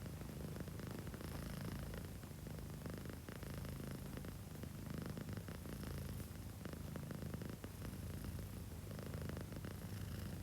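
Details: Sleeping domestic cat snoring; a soft, low, continuous rumbling breath that rises and falls steadily without pause, with quiet room hiss behind it.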